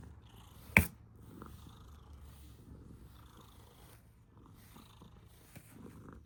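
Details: Female domestic cat purring with a sound likened to a snore: a low, steady rumbling hum throughout, with a sharp click near the start and faint rustling.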